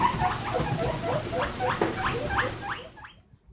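A guinea pig gives loud, high squeals, rising sharply and repeated about four times a second.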